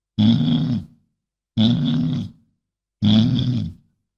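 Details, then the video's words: Three heavy, resonant bison grunts in a steady series, each lasting just under a second with short gaps between. The calls are low and throaty with a harsh, breathy overtone. Nothing else is heard. "SOM DE BISAO"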